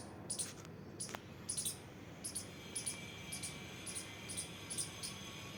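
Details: Squirrel at play giving thin, very high squeaky chirps in short clusters, about one to two each second, over a soft steady background hiss.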